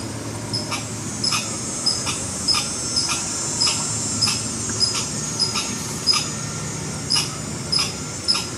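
A red squirrel gives sharp, dry chucks, repeated roughly every half second in an alarm series.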